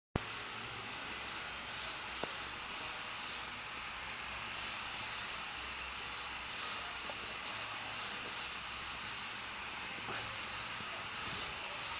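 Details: Only a steady broadband hiss, like machinery or a vacuum, with no animal voice. A couple of faint clicks break the noise, but no animal calls stand out.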